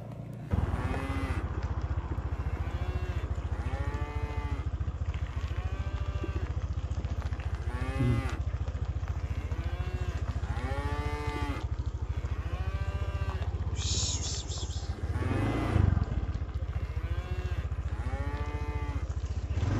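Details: Tame village cattle being herded home to their pen as a group, lowing again and again in overlapping calls from several animals, each moo a rising-then-falling groan, over a steady low engine drone.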